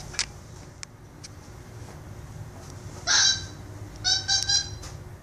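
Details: Pet capuchin monkey named Instinct play fighting with a toy monkey indoors. Brief bright harmonic squeals, with one short call near the midpoint followed by a quick cluster of squeaky chattering bursts. Soft clicks and a faint low hum sit underneath.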